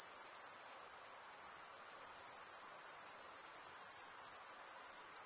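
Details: Summer night in the forest, with many crickets chirping together as one continuous, very high trilling band of even loudness from start to finish and a quiet background hiss beneath.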